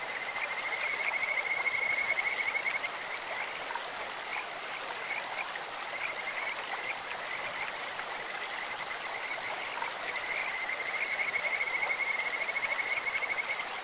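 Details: Kajika frogs croaking in a clear-flowing stream. Sweet, bird-like whistled trills at a steady high pitch run for several seconds, pause, then resume, all over the continuous hiss of running water.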